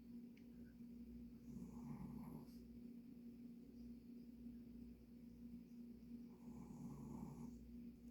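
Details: After a hard play session, Pomeranian Dujin sleeps and snores. Two rough, buzzing breaths, each about a second long, come roughly five seconds apart against a faint steady indoor hum.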